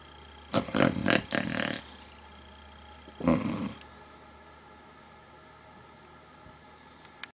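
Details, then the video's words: A sleeping cat, dreaming, gives a louder rough snore: a rattling, fluttering burst of rapid pulses lasting over a second, a pause, then one shorter raspy snort, followed by quiet. "Cat Snoring And Dreaming"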